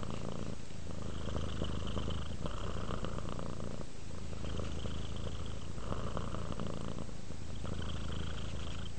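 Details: {'caption': 'Resting pet cat purring in a steady low rumble, rhythmic breathing cycles swelling and easing roughly every one and a half to two seconds.'}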